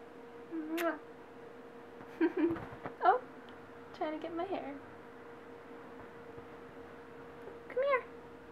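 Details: An orange cat playing with a woman's hair indoors lets out several short, rising-and-falling meows spaced a few seconds apart while she talks softly and coaxes it closer.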